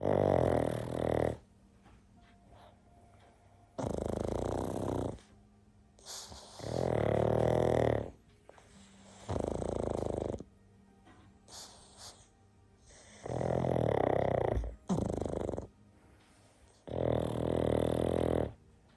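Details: Two pugs, Murphy and Paddington, napping together indoors and snoring: loud, rasping, broadband breaths that swell and fade, about six long snores roughly every three seconds, separated by near-silent pauses.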